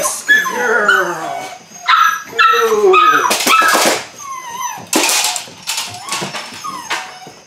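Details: Litter of eight-week-old Belgian Malinois puppies, Android Whiteline Czech x Mason's AnnieLou, starting bite work: a falling whine, then clusters of short high yelps broken up by loud bursts of rustling and thumping.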